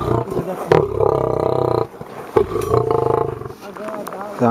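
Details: Aggressive 400 kg male lion gives deep, rumbling growls. Layered tones pulse rapidly through a long first burst, then a short pause and a second pulsing stretch. Human voices are audible around it.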